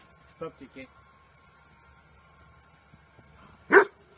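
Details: Barking of Chichy, an 11-year-old female Pekingese, while playing indoors with her owner and other dogs: a few soft low yips, a quiet pause, then one sharp loud bark near the end, with voices faintly in the background.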